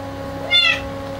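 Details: Clouded Bengal cat giving a single short, bright meow that rises and drops quickly, against a constant low indoor hum.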